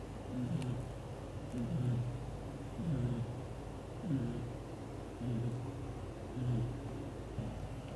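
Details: Loud snoring from Leo, a black golden British Shorthair father cat asleep while hugging the mother cat and kittens; low, buzzy rasping breaths recur at an even, slow pace, about once per second.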